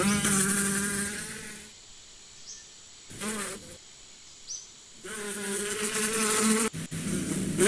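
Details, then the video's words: A steady, low bee drone at the start and end with a quiet gap in the middle. A brief buzzing pass sweeps through the lull, and faint high chirps are heard in the background. "Relax with the sound of the bees"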